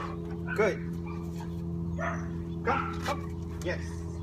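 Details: Indigo, a dog in training for aggression toward other dogs, gives a few short, sharp barks at irregular intervals, spaced about a second or more apart, over a steady low hum, with a person's voice praising nearby.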